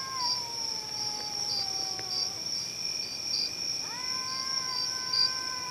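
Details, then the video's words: Cats making a loud, unpleasant noise: a long, drawn-out tonal wail slowly falling for over two seconds, then after a pause a second sustained, rising yowl; steady high-pitched insect chirring throughout. "Cats making horrible noise"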